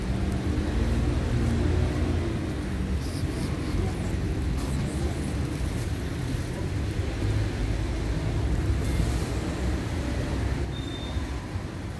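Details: Steady rumbling engine-like noise with faint voices in the background and no animal calls.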